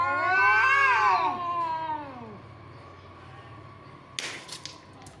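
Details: Cats in a fight: a strained yowl climbs and then falls away over two seconds, followed by near quiet and a few brief clattering knocks.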